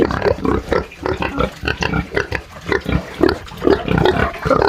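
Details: Farm pigs in Brazil giving deep throaty grunts in separate pulses roughly twice a second, some with a squeakier oinking edge, several animals audible close by.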